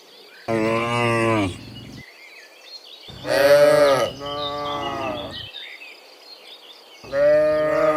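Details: Herd of cows mooing as they come back from the fields to the pen in the afternoon; three loud harmonic moos from several animals, one rough and strained, with faint bird calls between.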